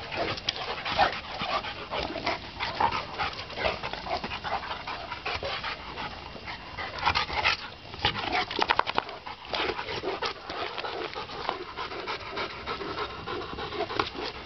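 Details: Two dogs playing together in a backyard, rough noisy breathing and scuffling bursts running continuously with a few louder spikes, no other clear sounds.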